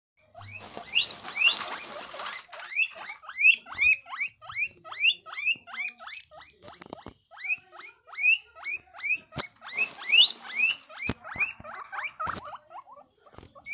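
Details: Guinea pig giving a loud, happy reaction: a long run of sharp, rising high squeaks repeated about twice a second, some bursts breathier and clustered, with a few soft clicks and taps between calls.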